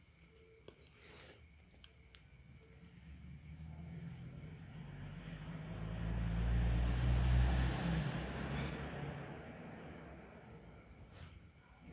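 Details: Low rumbling traffic noise swells as a vehicle passes by and then fades away, with faint ticking in the background.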